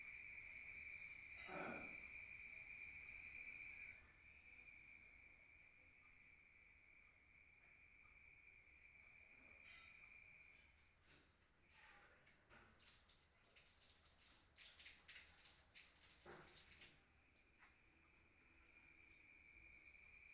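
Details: Crickets at night in the countryside, heard from inside a room: a steady, thin, high trill, loud at first, fading in the middle, then returning near the end, broken by scattered rustling and knocking sounds.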